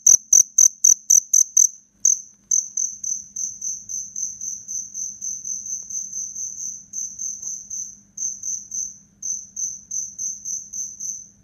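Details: A black cricket chirps fiercely while fighting, giving loud, high, rapid chirps: sharp clicking pulses first, then a steady pulsing trill.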